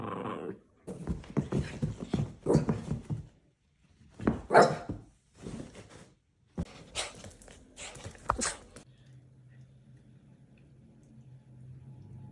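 An Italian greyhound gives a run of sharp, uneven barks and yelps indoors.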